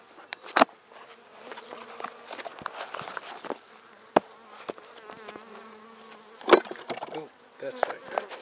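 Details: Colony of Buckfast honey bees humming inside a handmade hive opened for inspection of brood in May 2009; a continuous low droning tone with a higher overtone, punctuated by loud taps and scrapes from frames being moved.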